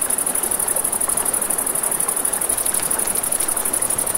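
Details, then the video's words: Crickets by a river after dark give an unbroken, piercing high trill with a quick regular pulse, mixed with broad flowing-water noise and faint crackling of a campfire. "1 Hour of Crackling Fire, Crickets, Ambient Nature Sounds"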